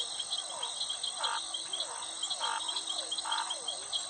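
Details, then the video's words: Frogs calling at night, short nasal croaks repeated roughly every second, half-buried under a dense, steady shrill chorus of crickets and other insects that dominates the recording. "sound effect suara katak"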